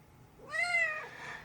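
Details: A cat meowing at 5 AM to wake its owner. One clear, drawn-out meow lasts about half a second, arching up then down, and is followed by a softer trailing tail of sound.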